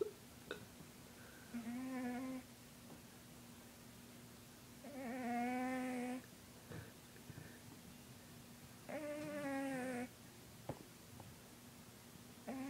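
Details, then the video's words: A 20-pound pet cat snoring while asleep indoors; three drawn-out, nasal, harmonic whining breaths about four seconds apart, each lasting over a second, with a faint steady hum underneath. "Lucifer the Cat snoring"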